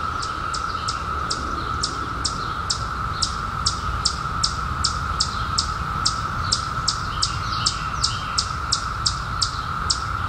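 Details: Periodical cicadas, out in 2021 after 17 years underground, keep up a flat, sustained buzzing chorus. Over it runs a high, sharp chirp repeated about two or three times a second.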